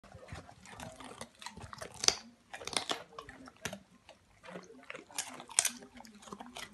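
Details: Samoyed dog eating and enjoying a carrot, crunchy chewing bursts in irregular clusters with sharp bites and pauses between them, close and dry.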